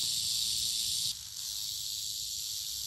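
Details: Eastern diamondback rattlesnake rattling: a steady, dry, high hissing buzz that runs unbroken for about three seconds and drops slightly in loudness partway through, with faint low rumble beneath.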